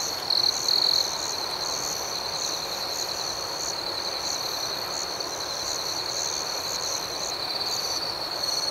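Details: Crickets chirping at night: an unbroken high trill with gently pulsing chirps above it, and a short louder burst of the tone in the first second.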